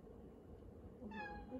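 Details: Domestic cat meowing for attention in a home kitchen while someone stands at the counter; one short, clear, harmonic meow that rises and then holds level near the end, over a low steady household hum.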